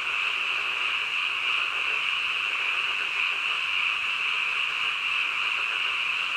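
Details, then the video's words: Midnight frog chorus, many callers blending into one continuous high, shimmering drone that holds steady without pauses for the whole stretch, with a soft lower rattle underneath. "한밤중 개구리 울음소리"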